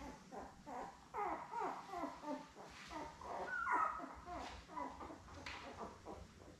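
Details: Labrador Retriever newborns, seven puppies born May 24, 2021, with their mother Belle indoors: continuous low fussy whimpering and squeaks from several pups, with a soft background hum.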